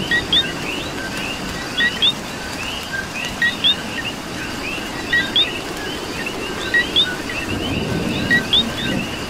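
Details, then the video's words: In Puerto Rico rain, several coqui frogs repeat a crisp two-part co-QUI note, the second rising sharply, about every one to two seconds, layered over a denser chorus and a soft wash of rain. "Coqui and Rain"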